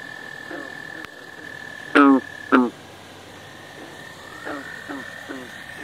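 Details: American bullfrog in the Centre-du-Québec region of Quebec, Canada: two loud deep croaks close together, each a short burst of rapid pulses, followed by fainter answering croaks, over a steady high whine and quiet background hiss.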